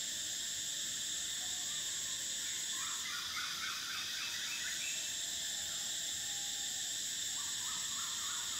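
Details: Cicadas singing in summer: a steady, shrill high-pitched drone fills the whole clip, its top band shifting pitch about a third of the way in, while bursts of quick, lower chirping notes come and go underneath.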